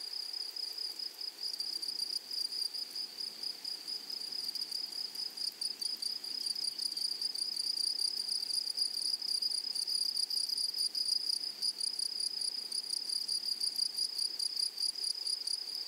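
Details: Meadow grasshoppers in a flowery prairie, a constant high insect trill of fast, evenly spaced pulses that holds at one pitch for the whole stretch, with a faint upper overtone and no other clear sounds.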